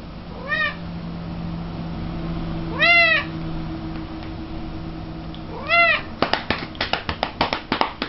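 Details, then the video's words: Female cat being patted on the rump, giving three loud arching meows spaced about two and a half seconds apart, followed by a rapid series of rhythmic pats. "cat loves to be spanked"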